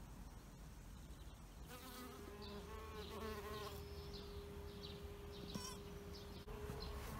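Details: A bee hovers by an insect hotel with a continuous low hum. Its pitch wavers and bends for a few seconds, then settles into a level drone. Short high bird chirps are scattered over the background.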